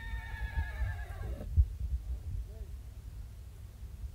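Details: Black Marwari horse at the Anthiyur horse fair in Tamil Nadu, India, among more than 2000 horses. It gives a loud, harmonic neigh of about one and a half seconds that ends in a falling tail, followed by low thuds and background rumble.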